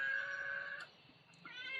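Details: Domestic cat crying amid a disaster-hit area, perhaps unable to find its owner: two sustained harmonic meows, the first long and level, the second starting after a short gap, over faint low rumble.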